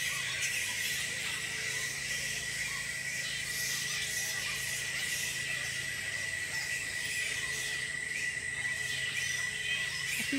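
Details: Roughly a thousand bats roost in a tropical park on the Sunshine Coast, Queensland, Australia. Their massed, shrill squeaking and squabbling runs on without a break, joined by a steady high hum.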